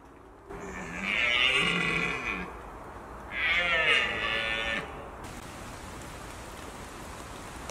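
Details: Red deer stag roaring, also known as bolving, during the October rut in Britain. Two drawn-out, harsh, harmonic bellows of about one and a half seconds each are separated by a short pause, over a quiet outdoor background.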